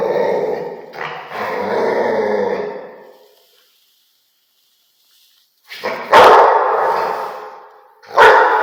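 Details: Rottweiler: a long, throaty, rasping bark-growl, a pause of a few seconds, then two loud, explosive barks about two seconds apart.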